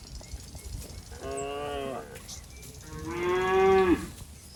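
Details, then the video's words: Fat, healthy cattle roaming a waterlogged rice field; a calf calling for its mother gives two drawn-out harmonic moos, the second louder and slightly falling at its end. "Suara Sapi Sedang Mencari Induknya"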